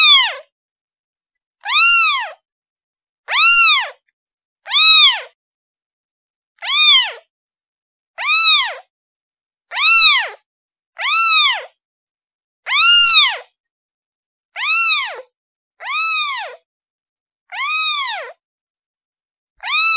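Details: Kitten crying for its mother in a long, insistent run of about fourteen short arched meows, repeated roughly every one to one and a half seconds, with no other sounds.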